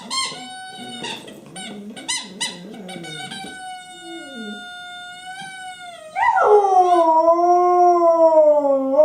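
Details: Female dog Honey howls along with her favorite squeaky toy, 24 January 2012. A sustained, steady high-pitched squeal and wavering low whines fill the first six seconds, then a loud, drawn-out wavering howl takes over to the end.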